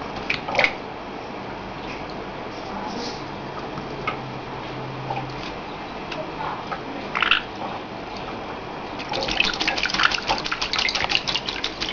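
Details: Splashing and dripping water with scattered clicks and knocks, rising to a burst of vigorous splashing near the end.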